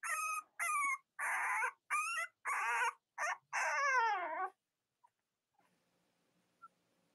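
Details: Cavalier King Charles Spaniel puppies, from one of the litters of mothers Robin and Myra, filmed on a split-screen puppy live stream on a chilly morning. A string of loud, high, wavering whimpers and squeals, several bending downward, then quiet.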